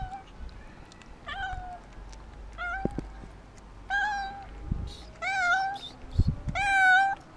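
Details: Afraid and hungry, a cat gives five loud meows spaced one to two seconds apart, each a clear harmonic call that rises then falls, the last ones longest and strongest, with light handling thumps between them.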